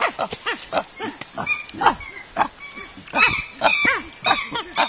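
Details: Chimpanzees in a natural habitat enclosure at Afi Mountain Drill Ranch, Nigeria, let out scattered arching hoots and sharp squeals with short gaps between bursts, over a background of rustling and softer overlapping voices.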